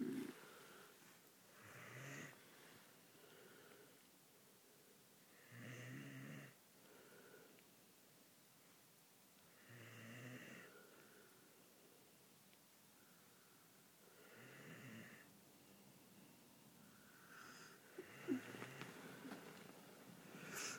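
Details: Pet Bull Mastiff named Tango snoring indoors, December 6th, 2009: deep rasping snores rise and fall roughly every four seconds, each a rough, wheezing rush of breath, with quiet pauses between and a brief snort near the end.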